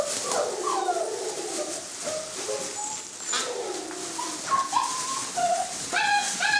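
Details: Young Saluki puppies of a single litter chase a lure, producing short tonal whines that sweep up and down, a few sharper yelps near the end, with constant hiss behind them.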